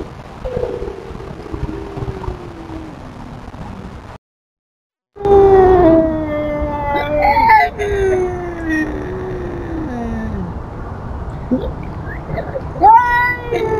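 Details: Tubs, a feral cat, telling off an intruding cat with long drawn yowls that slide downward, several overlapping wavering howls after a short gap, rising briefly near the end over steady background hum.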